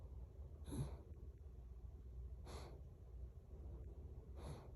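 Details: Female pet dog in need of a haircut, snoring while dreaming as she lies beside her owner: three soft, low, breathy snorts spaced about two seconds apart in a quiet indoor room.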